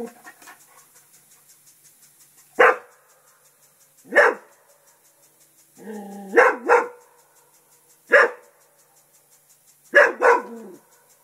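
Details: Festus, a pet English Springer Spaniel, barks at a turtle he treats as a threat to the house. After a quiet start come single loud barks, then paired barks, separated by about two-second gaps.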